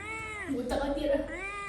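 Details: Indoor cat screaming: one drawn-out, nasal wail that sags lower in pitch through the middle, then climbs back up toward the end, with faint room noise behind.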